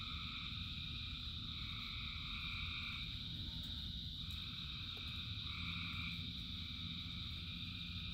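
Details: Massed frog chorus in rain, thousands of frogs singing: continuous shrill trilling with mid-pitched droning layers that fade near the middle and return, a deep rushing rain bed and occasional sharp drops.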